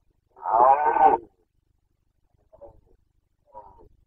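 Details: Carpathian red deer stag roaring in the 2021 breeding season (boncănit): one loud, rough, harmonic bellow of nearly a second, then two faint short grunts after a quiet pause.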